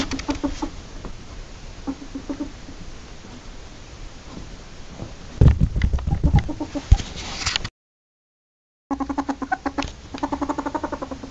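A ferret gives soft, rapid clucking chatter in short bursts, with a brief silent gap.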